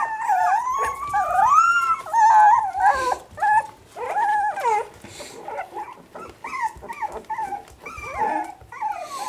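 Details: Three-and-a-half-week-old Parson Jack Russell Terrier puppies from one litter giving loud, wavering whines and squeals that glide up and down, several overlapping, with short yips in between.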